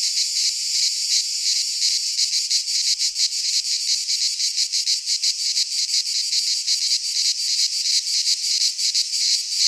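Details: Cicada song from Greek nature in midsummer pine woods: a ceaseless, high, buzzing shrill with fast fluttering pulses, the insects the only sound present.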